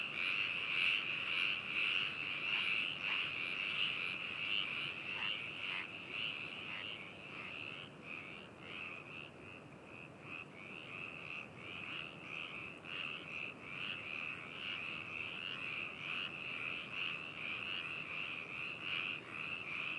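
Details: Binaural recording of frogs in Hakushu, Hokuto City, Yamanashi, Japan, made 4 May 2018: a constant ringing trill chorus with soft, rapid croaks repeating about twice a second, fading slightly midway.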